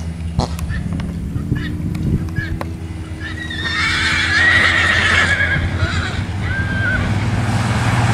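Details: Tennessee Walking and Rocky Mountain horses on a Texas farm on an autumn day; a high, drawn-out whinny rises near the middle, followed by a shorter wavering call, over a steady low rumble and scattered knocks.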